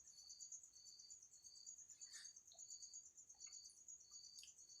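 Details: Insect caught inside a bottle at home produces a thin, continuous high-pitched whine layered with shorter buzzing bursts repeating about twice a second, with a few faint clicks in the background.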